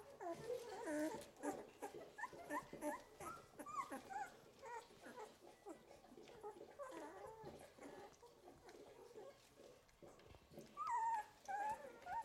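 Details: Eleventh-day Golden Retriever puppies in their litter whine with rising and falling squeaky notes, dense at first, then quieter, with a louder whimpering burst near the end and a person's soft voice.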